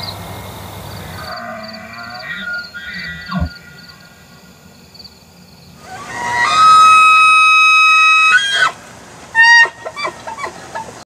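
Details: A trophy bull elk bugles: a long, high, flat whistle followed by a few throaty grunts.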